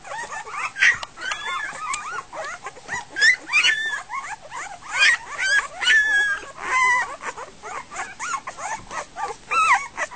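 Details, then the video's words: Goldendoodle puppies just over a week old crying at feeding time, chaotic with the food source gone: steady overlapping chorus of high whining squeals and yips, pulsing in loudness roughly every second. "Goldendoodle puppies - dinner time"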